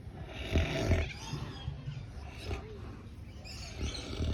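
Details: Pig snoring at a farm in the Swan Valley near Perth, with deep, rough, rumbling grunts in uneven bursts and faint background voices.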